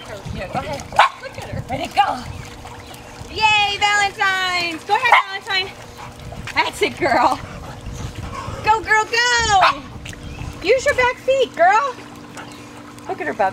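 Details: Rhodesian Ridgebacks, a father and his daughter, swimming in a pool on a hot summer day in Elizabethtown, PA; excited whining yelps come in two bursts amid steady encouraging human chatter and water noise.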